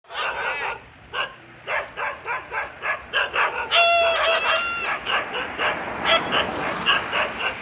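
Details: Dog barking in Thailand, dated 2/12/2563 on the Thai calendar: a rapid run of short, harsh harmonic barks about every half second, with a brief higher tonal whine partway through and a quieter, broken-up end.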